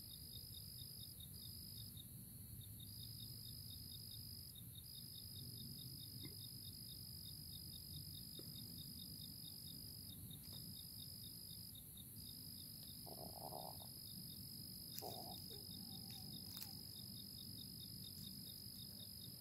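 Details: A chorus of crickets in early April keeps up a shrill, sustained trill with brief breaks and rapid pulsed chirps, while a few short, lower sounds and a soft rumble pass in the background.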